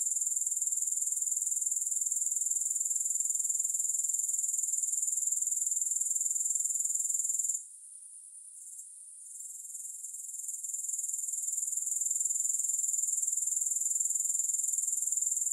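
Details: A steady, very high insect trill from grasshoppers, with no music added. It is densely pulsed and constant, then cuts off suddenly halfway through. It stays muffled and quiet for several seconds before building back to a full shrill chorus.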